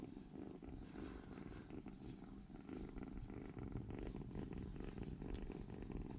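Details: Three rescued kittens snuggled together indoors for warmth as tiny babies; dense, unbroken purring with a gentle pulsing beat, growing slightly louder halfway through.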